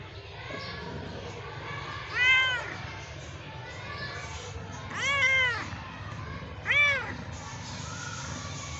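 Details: Cat meowing three times at uneven intervals, each call a brief rising-then-falling harmonic cry, the second one longest, over steady low indoor background noise.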